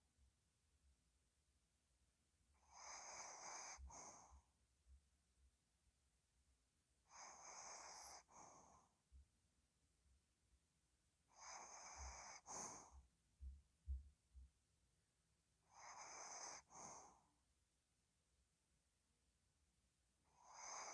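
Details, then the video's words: Ddochi, a pet dog, snoring while asleep indoors: soft breathy two-part snores, each a rasping inhale then exhale, repeating about every four to five seconds, with quiet low thumps between breaths. "코골이ASMR / 힐링 영상 / 또치의 하루"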